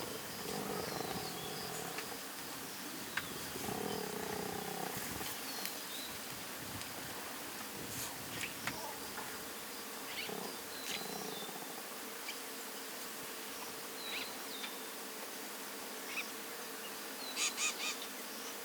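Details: Masai Mara lions dated 2.11.2022, small cubs resting beside their mothers while eating, filmed with a Sony FX30; two drawn-out mewing moans early on, then quieter background of insects humming and scattered high bird notes.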